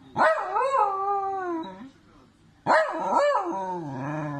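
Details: Dachshund letting out two long, wavering howl-barks, each about a second and a half, rising and falling in pitch before sliding down, with a short pause between.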